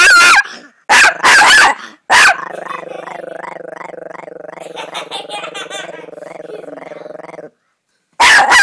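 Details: Chihuahua named Bear, a small dog, giving a sustained rattling growl with pulsing, wavering harmonics lasting about five seconds, framed by sharp loud barks before and after.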